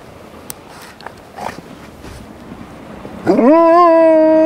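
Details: Rosco P Coltrane, a black wolfdog out in an urban blizzard, lets out a loud howl that sweeps up sharply and then holds a long, steady, rich tone, following seconds of muffled wind and snow noise.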